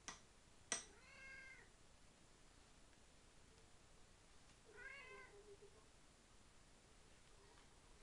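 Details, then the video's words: Male house cat Tigroo demanding his meal, voicing two clear mid-pitched meows a few seconds apart, each with a bending, arched contour, after a pair of sharp knocks in a quiet indoor room. "Chat qui parle / 話をする猫"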